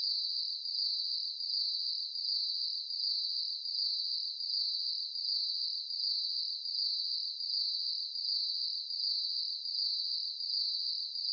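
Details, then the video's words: Crickets at night give an unbroken shrill trill, pulsing in even beats around eighty times a minute, with nothing else audible. "Nighttime Ambience | Cricket Conversations"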